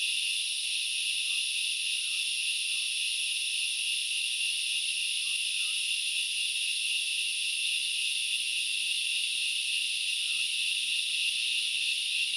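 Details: At Knuckles Reserve in Sri Lanka's Central Highlands, grasshoppers keep up a steady, shimmering high buzz without breaks, while faint short chirp-like notes and a low soft pulsing appear intermittently beneath.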